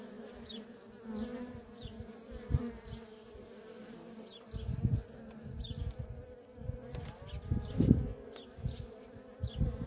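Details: Worker honey bees coming and going at a feral colony, individual bees zooming past in loud, swelling buzzes over a soft background hum, with faint, short high chirps repeating throughout.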